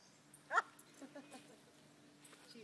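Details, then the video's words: Short sharp bark from a terrier and a shih tzu, Emmy and Ginger, during a play fight. A single loud burst comes early, then quiet with faint voices. "Terrier Shih tzu Tussle"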